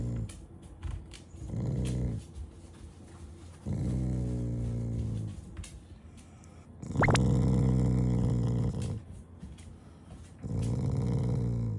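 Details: Shiba Inu growling affectionately rather than in anger while refusing to move from in front of the fridge; low rumbling growls in bursts of about two seconds separated by quieter pauses, with one brief sharp higher cry near the middle.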